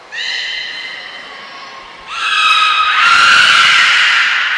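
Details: Beluga at Port of Nagoya Public Aquarium, recorded 18 February 2024 during play time after feeding; loud tonal whistles with stacked harmonics, a steady note followed by a rising, stronger whistle that holds high.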